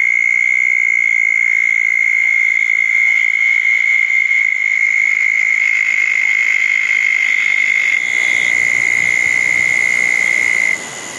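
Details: Southern toad trilling at a small pond at night after a thunderstorm, June 10, 2014, among other calling toads. One steady, high-pitched trill holds for about ten seconds, then cuts off, leaving quieter background hum.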